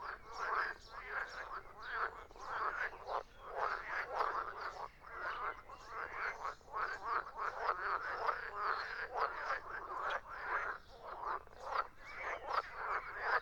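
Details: Many frogs calling at once, a continuous chorus of rapid throaty croaks pulsing in quick succession without pause.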